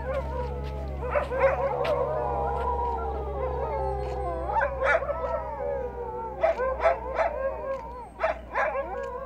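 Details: Sled dogs howling together in Ilulissat, Greenland: many overlapping wavering, sliding voices layered in a sustained chorus, with sharper yips and barks breaking through in the later seconds over a steady low hum.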